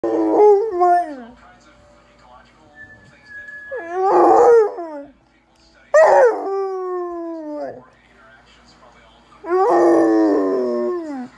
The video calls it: Basset Hound Howl